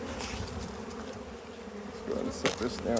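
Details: Hive of honey bees hums while the upper small frames, nearly full, are set aside for a look at the bottom frame; continuous low buzzing, with brief voiced chirps and knocks near the end.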